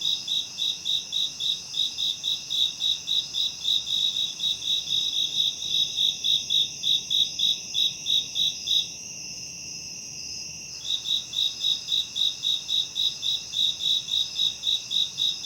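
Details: High-pitched cricket trill for tinnitus masking, with long runs of fast regular chirps about three to four per second. A brief gap leaves only a thin continuous whine before the chirping returns, layered over steady shrill background tones.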